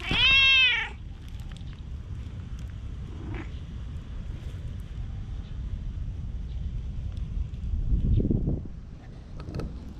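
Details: Under the shade of trees, a stray tabby-and-white cat pleads with a single loud, bending meow at the start, recorded on a GoPro HERO8. Then there is quiet outdoor ambience with faint low rumble and a soft thud near the end.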